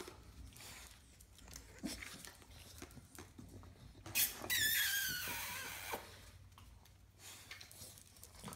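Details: White male Bulldog puppy indoors gives a single high, drawn-out squealing whine of about two seconds, its layered overtones sliding downward, set among soft scratching, tapping and scuffling noises.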